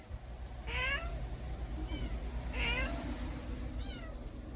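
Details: Kitten crying, heard on a day of constant kitten cries, with a yellow cat and a tabby also present; loud, rising-then-falling harmonic meows come in pairs about two seconds apart over a steady low hum.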